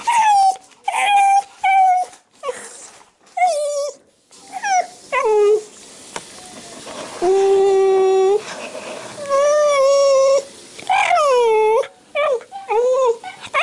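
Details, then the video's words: Yamato, a Shiba Inu desperate for food, drool rattling in its throat, whimpers and whines indoors: long wavering cries, some sliding upward and some falling, repeated in quick bursts with short pauses. "柴犬 大和 食べた過ぎてのどが鈴！"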